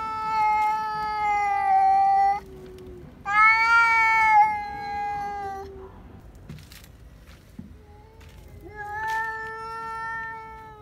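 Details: House cat letting out loud screaming cries after seeing a cat outdoors: three drawn-out wailing yowls, the second higher and more strained, separated by pauses with faint background rustling.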